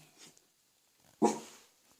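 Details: A Welsh Corgi, just fed and barking as family stands nearby while being coaxed to bark quietly, gives a single sharp, fairly soft bark that fades quickly in a quiet room.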